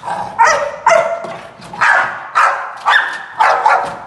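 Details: American Pit Bull Terrier during gripping play, giving loud harsh barks repeated about twice per second, roughly eight sharp bursts in four seconds with a steady background hum.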